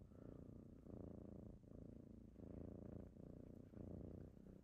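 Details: Kittens waking their owner in the morning purr steadily, a low buzzing rumble in breath-length pulses about every 0.7 seconds, with a faint short tone at the very start.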